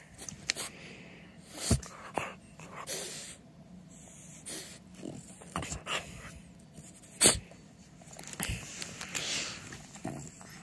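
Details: French Bulldog named Timber playing and rolling on fresh clean blankets on a couch at home: soft snuffling broken by scattered sharp snorts and sneezes, the loudest bursts near the start and middle, in a quiet indoor room.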